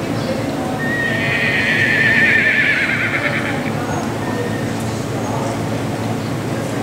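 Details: La Pie, a 7-year-old buckskin Quarter Horse mare at Longmeadow rescue, gives a single long neigh of about three seconds, wavering and slowly falling, amid constant background noise and some speech.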